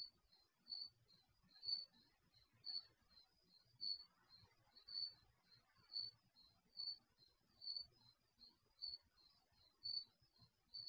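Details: Night crickets recorded through the microphone of an HD surveillance camera installed in a garage; steady high-pitched chirps roughly every second, with softer chirps in between, against faint low background hum.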